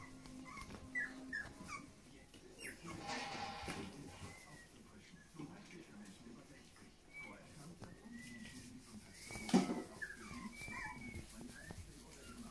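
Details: Großspitz (German Spitz) puppies on their 30th day of life, giving thin, high whimpers and whines, short rising-and-falling squeaks scattered irregularly across the recording, with human speech in the background.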